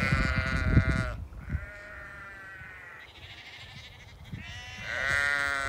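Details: Lincoln Longwool sheep in England, hungry adults with grown lambs, giving long quavering bleats lasting one to two seconds each, several voices overlapping, with low rustling and handling noise underneath.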